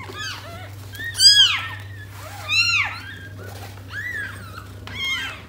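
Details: Indoors with Tota, a domestic cat, and her six young kittens: a handful of high, thin mews, arching up then down, come about once a second, with a faint low hum beneath.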